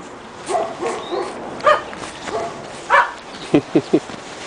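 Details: Two-and-a-half-month-old Pekingese puppies in snow for the first time in Tallinn, Estonia, letting out spaced single yips, then three quick sharp barks in a row near the end.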